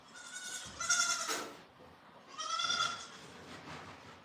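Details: Goat on a farm giving two loud, wavering, harmonic bleats about a second and a half apart, with light background rustle.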